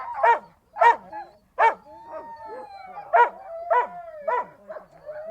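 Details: Siberian Husky sounds: a few loud spaced barks, then a long gently wavering howl threaded beneath a second run of barks.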